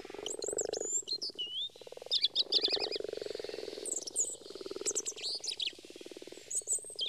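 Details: In early spring, frogs and toads that have come from surrounding woods to ponds to spawn croak in a low, steady, rapidly pulsed purring chorus, with songbirds adding bright whistled phrases.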